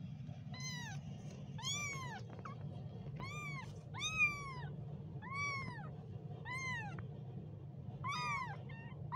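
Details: Repeated shrill kitten mews, eight arched cries in quick succession at roughly one-second intervals, bright and insistent, against a faint low background drone.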